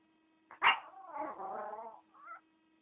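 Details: Valentina, a female Chihuahua, gives a sharp yelp, then a wavering, drawn-out howl lasting about a second, and ends with a short, higher rising whine; steady electrical hum underneath.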